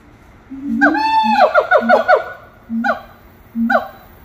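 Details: Singing monkeys at Little Rock Zoo: steady low hooting notes give way to a run of high, harmonic whoops that swoop downward in quick succession, followed by two short separate low-to-high calls, with laughter nearby.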